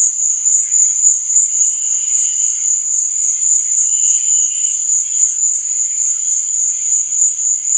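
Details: Crickets chirping at night: a steady, very high, shimmering trill that holds without pause, with fainter, lower buzzy pulses drifting in and out beneath it.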